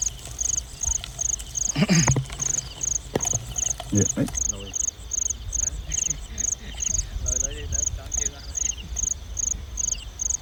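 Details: Field crickets calling at night around rice fields during a nighttime cricket hunt: steady, high-pitched pulsed chirps about every 0.6 seconds, some sixteen in all, with a few knocks and brief voices early on.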